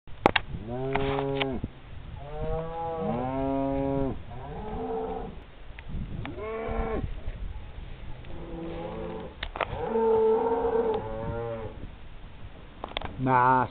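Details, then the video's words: Alpine brown cows leaving a mountain dairy hut after milking, 20 June 2011: several long harmonic moos, some rising then falling, others flat, overlapping from different animals, with a woman speaking Czech afterward. "Alpský hnědý krávy spěchaj ze salaše po dojení"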